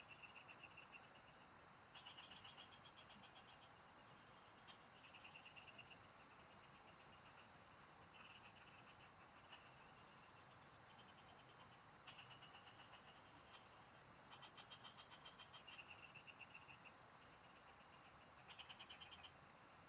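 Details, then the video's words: Several frogs chorus in farm fields during a fishing outing, giving short trains of fast pulsed notes every few seconds, overlapping at times, with a constant thin high drone behind them. "Pikinggan mo Ang MGA huni Ng MGA Palaka SA bukid| Relaxing Frog Singing"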